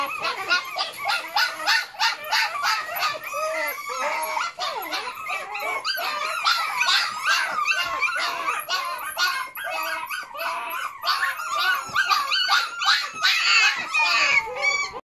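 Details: A litter of Malshi pups aged six weeks squeal, yip and whimper without break, high-pitched overlapping cries arriving roughly three per second with occasional drawn-out whiny notes.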